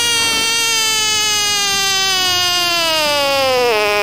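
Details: Frog throwing a tantrum, one continuous piercing scream held for over four seconds, steady at first, then sliding lower with a brief wavering catch near the end.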